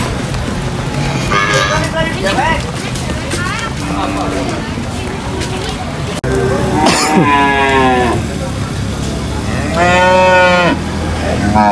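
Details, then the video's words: Cattle being unloaded from a truck at a market, giving two loud drawn-out harmonic moos, one near the middle and a longer one toward the end, over busy crowd chatter and a constant low rumble. "funny cow unloading from truck at the market|cow sound videos for kids"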